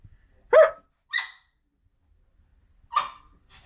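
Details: Poodle named Jjokko barking on meeting its owner again after several days apart; a few short, sharp barks spaced about half a second to two seconds apart in a quiet room, followed by a woman's voice.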